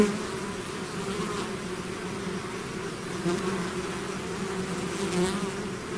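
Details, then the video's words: Swarm of bees emerging from a hive, steady low humming with stacked tones and a few passing individual buzzes rising above the mass. "bees therapy swarm natural buzzing sound"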